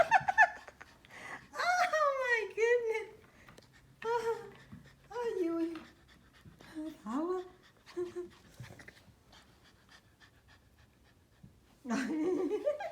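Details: Young Pomeranian puppies running and playing make a run of shrill, falling yelps, whines and whiny barks in quick, uneven bursts, while a person talks between and over the puppy sounds.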